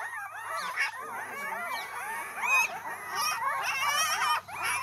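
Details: Male and female Mudhol Hound puppies, offered together, whimpering and squealing in a dense overlapping chorus of high, wavering whines with rapid rising and falling cries, continuous throughout, with a steady low hum behind them.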